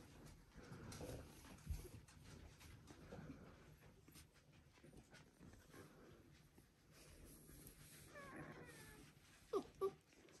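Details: Border Collie pups, one week old, from the "U2" litter of Selen and Max, murmur faintly, then break into a pair of sharp, piercing squeals near the end, with soft rustling of bedding throughout.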